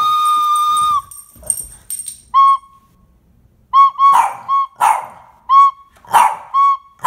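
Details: Boston Terrier barking in response to flute playing; a sustained flute tone, then short flute notes answered by repeated sharp barks and yips roughly every half second.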